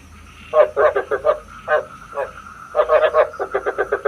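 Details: Frog lure call for night trapping, a decoy sound for a bát quái trap: short throaty croaks in quick pulsed bursts, clusters of three to five notes separated by brief pauses, over a faint steady electronic hum.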